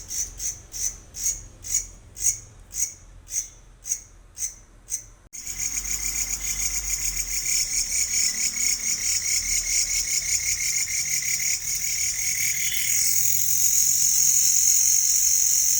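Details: A cricket at Doom Dooma, Tinsukia district, Assam, chirps in short, high, ringing pulses, several per second, then trills almost continuously.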